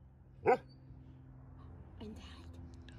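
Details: A Golden Retriever barking on a deck after spotting an airplane in the sky gives one sharp, loud bark, followed by a softer, lower vocal sound.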